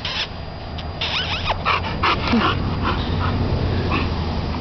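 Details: Dog named Titan playing in the dog yard, giving rapid broadband huffs and short yips with faint whimpering, a busy, irregular stream of sounds over steady background noise.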